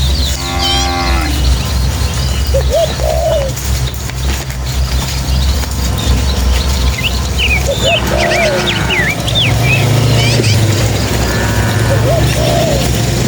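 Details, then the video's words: Village cattle in a tame herd run happily toward their pen along rural paths; a single deep moo opens the clip, fainter lowing follows, and scattered birdsong and a steady low rumble fill the background. "Suara Sapi"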